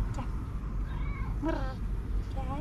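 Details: Cat with white paws under an olive tree, greeting with short wavering meows, several brief rising and falling calls over low steady rumbling background noise and a voice.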